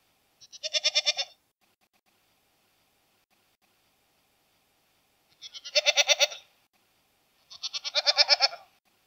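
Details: A single quavering goat bleat, then a long pause before two more close together, each call a rough, vibrating cry of about a second.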